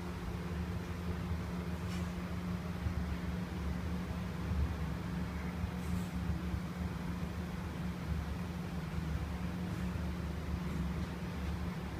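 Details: Continuous low mechanical hum with a droning tone indoors, broken only by a few faint soft clicks; no animal calls.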